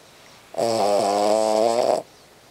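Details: Sleeping Cavalier King Charles Spaniel gives one loud snore lasting about a second and a half, a steady rattling buzz, in a quiet room where its snoring keeps a corgi awake.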